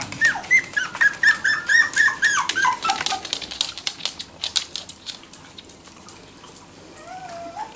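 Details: Whining from four-week-old Jack Russell Terrier puppies that have just begun to walk: a string of high, bent whimpers repeated rapidly for about three seconds, then fading to softer rustling and one drawn-out cry.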